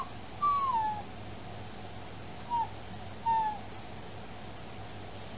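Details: Fostered female puppy whining through the night after being spayed: three thin, high whimpers, each sliding downward, the first longest, with quiet pauses between against steady low room hum.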